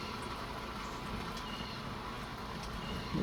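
Steady low rumble of traffic or rain-like broadband noise, with no clear animal calls.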